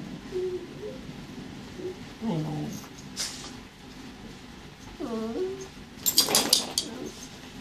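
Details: Border collie mix Hollywood plays with Bowie, a terrier puppy who pesters her; short whines and yelping cries come in scattered bursts, some bending up and down, with sharp clattering noises near the end.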